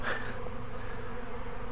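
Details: Honey bees swarming again a week after an earlier swarm, clustering near a spare hive baited with essential oils; a dense, low, steady droning hum fills the whole stretch with no breaks.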